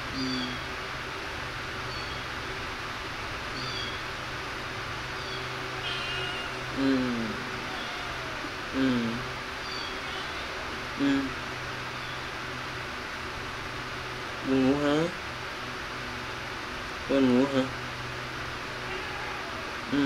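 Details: Kittens playing and feeding give short, high, hooked meows, their pitch bending up then down, about six calls scattered across twenty seconds over a steady low hum.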